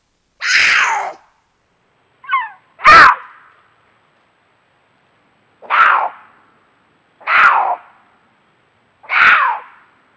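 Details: Two cougars calling to each other at night in a canyon of the Angeles National Forest during courtship: six harsh, descending screams, each under a second, spaced irregularly with silent gaps between them.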